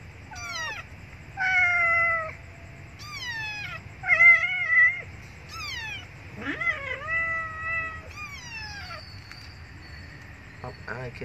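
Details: Abandoned female kitten crying loudly because she needs milk: a rapid series of about nine high, harmonic meows, some rising then falling, some wavering, in quick succession over eleven seconds above faint low hum.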